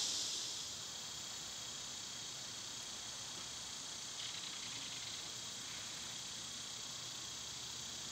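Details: Cicadas singing in summer, when they are loud: a steady, high, hissing drone holds unbroken through the whole stretch, with faint rustling underneath and no other clear voices.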